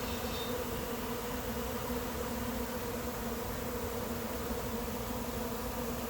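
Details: Late-season honey bee swarm moving into an empty, unprepared hive: a steady, dense buzzing hum with low droning bands, continuous and unbroken throughout.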